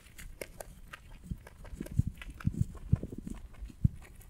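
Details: Pet rabbit eating hay: soft irregular crunching and nibbling clicks, several sharp bites near the end, against quiet background rustle.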